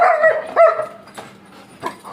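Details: German Shepherd dog whimpering while playing with its owners: a high, tonal whine with clear harmonics, two drawn-out whines in the first second, then quieter, with a short sharp yelp near the end.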